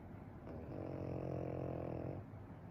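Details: A sleeping Pekingese snores continuously, here one long, low, rattling breath lasting about a second and a half.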